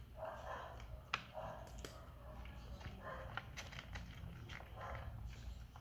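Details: Hungry Persian kitten calling indoors with a run of short mid-pitched mews, five or so spaced through the stretch, between sharp clicks and small room noises.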